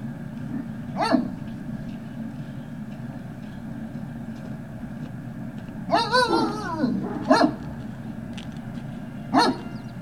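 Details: Great Dane puppies recorded on 18 November 2018 in the early afternoon: a short bark near the start, a longer wavering harmonic yelp around six seconds, then two more brief barks, over a steady low background hum.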